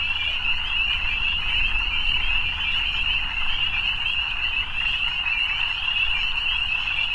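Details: Evening frogs calling together in a dense, unbroken high trilling chorus that holds one steady pitch throughout, with a faint low rumble beneath.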